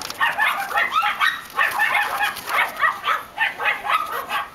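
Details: Black and white Miniature Schnauzer puppies giving a run of high, short yips and squeaky whines, several overlapping voices, irregularly spaced about once a second.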